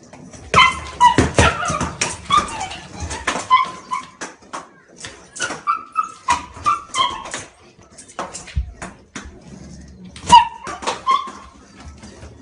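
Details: Shiba Inu outdoors during a fetch game with a ball: high, whining whimpers and short yips come in quick bursts, with sharp clattering knocks and thumps scattered through.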